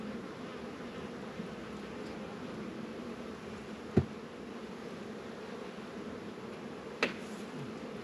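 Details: Honey bees active around Warre and Langstroth beehives on a warm 72-degree winter day in February, northern Kentucky; continuous low humming of many bees, broken by two sharp knocks about three seconds apart.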